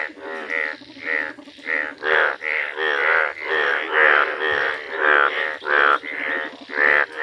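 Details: Village Indian bullfrog, yellow in colour, calling in a rhythmic series of harsh, reedy croaks, roughly one per second, loud and evenly spaced with short pauses between.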